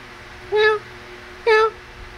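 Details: Cute kittens, playing and feeding: two short, clear meows about a second apart, each a brief bright tone with a slight rise and fall, over a quiet indoor background.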